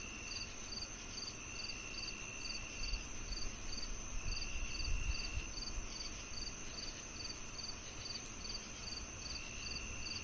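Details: Summer-night cricket chirping in regular pulses roughly twice per second, high and evenly spaced, with a sustained lower tone and a constant upper trill; faint low rumble swells briefly in the middle.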